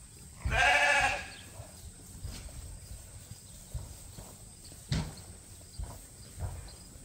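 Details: Sheep on a registered Suffolk and Poll Dorset farm, Ewetopia Farms, near ram lambs: one loud harmonic bleat lasting about half a second near the start, followed by quieter thumps and farm background noise.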